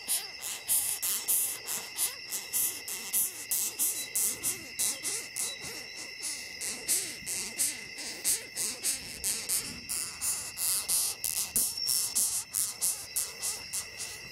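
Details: Longhorn beetle picked up in a forest in Ghana, protesting its handling: rapid rasping squeaks repeated about one and a half times a second, high and scratchy, over a constant shrill insect chorus.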